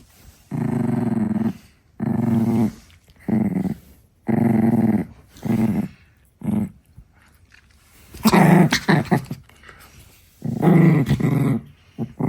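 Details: Six-month-old female Chihuahua puppy growling in guarding mode when her favorite stick is touched: low, rumbling growls in about seven bursts of roughly a second each, separated by short silences.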